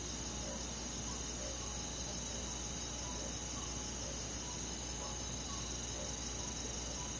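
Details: Night forest in summer with a chorus of crickets: constant high ringing insect trills and soft short chirps repeating at a relaxed, even pace beneath them.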